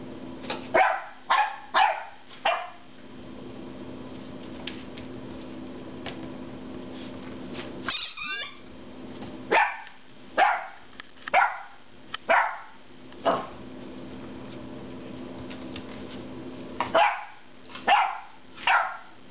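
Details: Loki, a normally quiet 10-week-old puppy, barks at a rubber squeaky pig he dislikes. A quick burst of yaps opens, the toy squeaks once in a wavering tone, then barks return in irregular clusters.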